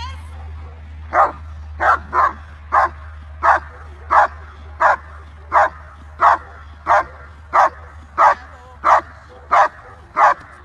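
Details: VA5 German Shepherd Felicita v.Schnitzertea, shown at the 2023 BSZS world championship, barks repeatedly in a regular rhythm, about one and a half barks per second, over a steady low hum.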